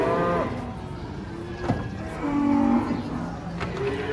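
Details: Cow coming down off a truck during unloading, a short flat low moo rising out of loud background music, with a sharp knock and scattered bumps around it.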